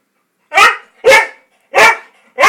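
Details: A Siberian Husky gives four loud, harsh barks in uneven succession, demanding a biscuit while looking over at the biscuits before going out.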